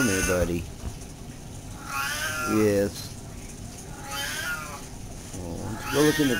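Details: Domestic cat in a back-and-forth conversation with its owner: drawn-out, nasal, falling meows at the start, near three seconds and at the end, between stretches of a man talking.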